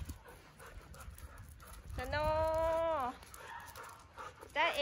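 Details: Siberian Husky from Candy's household, out walking around home in the cool winter air of Ubon Ratchathani, Thailand. A single drawn-out whine of about one second, steady and harmonic, dips at the end. A woman speaks Thai before and after it.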